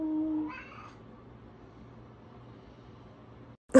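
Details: A domestic cat gives one short meow, a bright harmonic wail lasting under a second that bends upward and then slides down, followed by near silence with a faint low hum and a sharp loud knock at the end.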